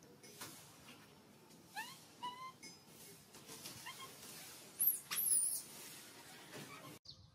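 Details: Hungry baby monkey crying to ask for milk: a few short, thin, rising whistled cries, then a brief steady high tone with an overtone, over a soft noisy background with scattered clicks and a louder rustle near the end.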